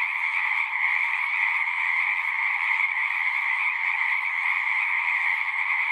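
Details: Many frogs singing together as a natural nature sound, a dense unbroken chorus of overlapping trills with a bright band of steady, high-pitched calling and a lower band beneath, no pauses or other sounds.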